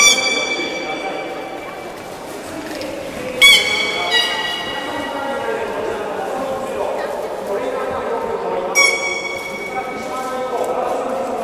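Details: Beluga during a public training session at Port of Nagoya Public Aquarium, 2 August 2016, 16:00 session: a few short, flat, whistle-like tones rich in overtones cut through steady crowd chatter and speech, with a pair near the middle and one later.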